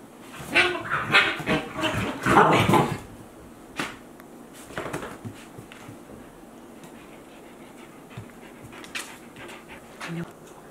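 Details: Akita Inu dogs, 14 months and 2 months old, after play: fast noisy panting and snuffling for about three seconds, then mostly quiet with a few faint breaths and soft movement.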